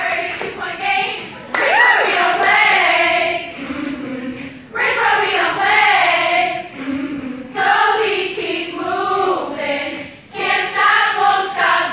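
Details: A crowd of voices sings and chants in rhythmic bursts, like a cheering chorus, with no animal sounds heard.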